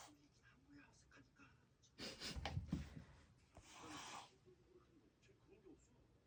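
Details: Domestic cats in a real fight over rank indoors: a harsh breathy burst near two seconds, then a longer airy hiss, with quiet room noise between them.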